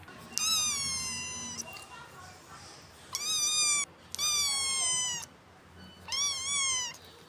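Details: Kitten mewing four times, each meow a drawn-out, high, clear tone with a gently rising then falling pitch, separated by short pauses; faint low background hum.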